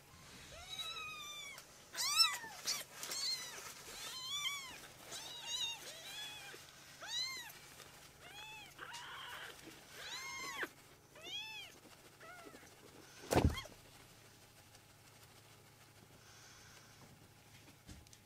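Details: Two young foster kittens, one pale brown and one with white socks, playing together on a lap indoors; many high, thin arching mews repeated rapidly through the first twelve seconds, then a sharp thump and quieter background.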